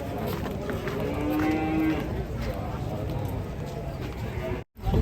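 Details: Large cattle coming down from and climbing onto a truck: a low drawn-out moo in the first two seconds under steady engine rumble and crowd noise, with a short dropout near the end.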